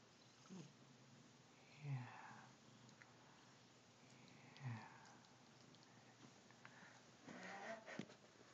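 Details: Domestic cat sound asleep in a bathroom sink, snoring indoors: soft, breathy, rasping snores about every three seconds, three in all, each a low rough exhale in a quiet small room.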